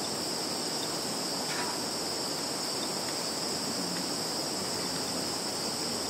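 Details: Insects calling in a field in Zhukovsky district, Kaluga region, Russia, on 11.09.2019, filmed with a Samsung Galaxy 10S+; a steady, unbroken high-pitched shimmering drone holds throughout, with faint rustling underneath.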